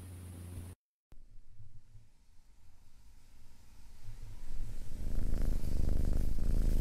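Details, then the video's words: Deep, low rumble of a purring cat that starts faint after a brief cut-out and builds steadily louder and rougher toward the end. "Sounds of Cat's Purring"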